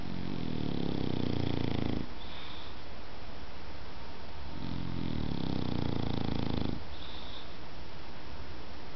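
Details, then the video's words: Sleeping dog snoring in a quiet room, two long, low, rattling snores about two seconds each, separated by a few seconds of silent breathing between them. "cachorro roncando"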